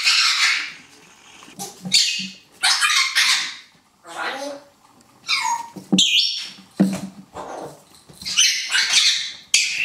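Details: Poodle puppies from a B litter playing in their puppy run with a stuffed teddy, 17 November 2014. Loud, harsh yips and squealing barks are repeated about every second or two, interspersed with short quieter gaps.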